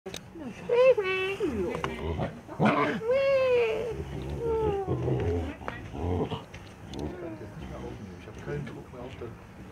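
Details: Three juvenile snow leopards in their enclosure at Zoo Wuppertal, Germany, greeting a zoo keeper they regard as their foster mother; three drawn-out, wavering mewing calls that rise and fall, mixed with a woman speaking German nearby.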